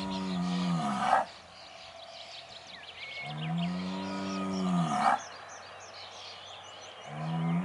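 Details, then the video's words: Bellowing Aubrac bull at a farm near Laguiole: three long, deep, sustained moos with a brief harsh burst at the end of each, separated by pauses, while small birds twitter in the background. "LA RACE AUBRAC - L'APPEL DU MALE"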